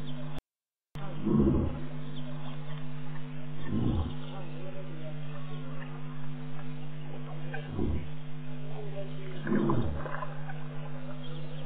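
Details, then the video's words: Territorial male lion at Tau, claiming his ground: low, heavy grunting roars repeated roughly every two to four seconds over a constant low-pitched background hum. "Lion at Tau"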